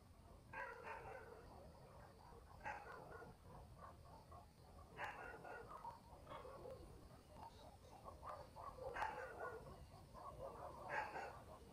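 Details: Village dogs at night in the countryside, barking in irregular bouts: about six sharp, broad barks spread over the stretch, with softer distant yelps between and a thin constant insect drone behind.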